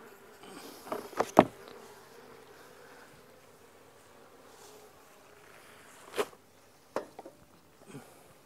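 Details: Honey bees from nucs being moved into new hives, handled without bee suit, smoker or hive tool ahead of an approaching storm; a steady low droning hum runs throughout, broken by sharp knocks and clattering from frame handling.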